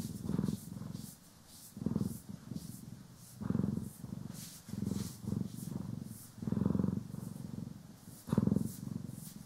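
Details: Domestic cat purring while being groomed and brushed, one of the cats Poki and Kiwi, stereo recording: low rumbling purr swelling and fading with each breath about every 1.5 seconds, soft hissing brush strokes above.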